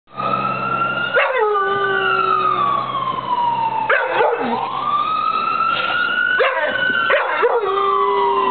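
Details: Millie, a yellow Labrador Retriever, howls at emergency sirens going past her house; steady mid-pitched howls sustained over one to two seconds under loud rising and falling siren wails that fill the recording.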